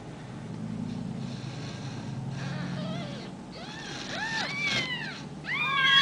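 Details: Ragdoll kittens raised at a home cattery in central Kansas; after a low hum, several high arched kitten meows rise and fall in quick succession toward the end, overlapping one another.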